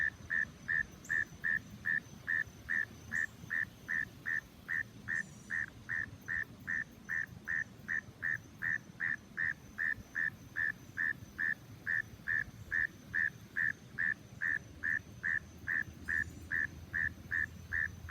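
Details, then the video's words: A frog hidden in the grass calling: short, clear, whistle-like notes repeated steadily, roughly two and a half per second, for the whole stretch, with a soft low rumble beneath. "A Hidden Frog Making Sounds in the Grass"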